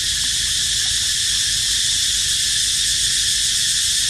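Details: Cicadas singing a loud, unbroken, steady buzzing drone that is high and hissing and stays level in pitch and volume throughout, with no other clear sounds.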